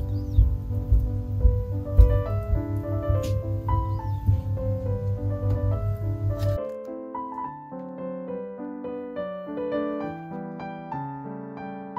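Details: Piano music with a steady low rhythmic pulse that drops out halfway through, leaving lighter keyboard melody, with no animal sound audible.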